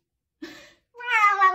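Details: Pet cat indoors giving a short soft sound, then a clear harmonic meow rising and holding for about half a second, quiet room otherwise.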